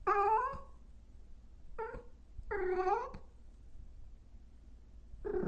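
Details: Loud cat and kitten meowing: three clear, rich-toned meows with short gaps between them, the last one longer and drawn out, followed by a fourth call starting at the very end over faint background hum.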